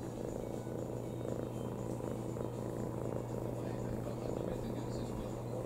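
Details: Low rhythmic purring from Rintan, a house cat resting contentedly on a lap; the rumble pulses in breath cycles about a second apart, with a constant background hum underneath.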